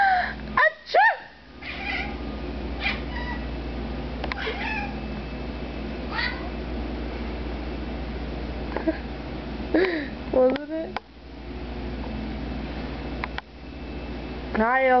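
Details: Domestic cat indoors that cries whenever its owner sneezes: a series of short meows scattered through the recording, some rising and others bending up then down, with a steady low hum and handling noise from the moving camera.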